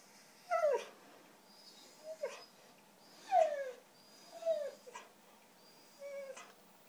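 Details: A white female Siberian Husky 'talks', asking for cheese doodles: five drawn-out whining cries, each sliding downward, spaced roughly a second apart in a quiet room.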